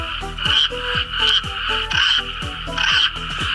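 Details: Frog croaking in a short series of pulsed croaks, each a quick downward-sweeping burst, coming roughly every three-quarters of a second, with background music playing steadily throughout.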